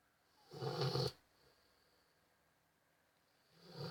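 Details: Sleeping Rottweiler snoring: a harsh, rumbling snore of about half a second with a raspy, breathy texture, then a long quiet pause before the next snore begins at the end.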